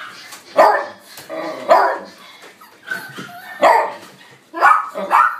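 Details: Young male white-and-black mixed-breed dog born December 2018, giving sharp repeated barks about once a second, some doubled, loud and harsh against a quiet background.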